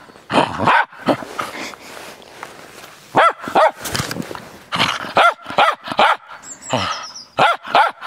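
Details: Excited Cairn Terrier barking while playing in the snow, uneven clusters of sharp yaps mixed with rougher breathy vocal noise and brief softer stretches between bursts.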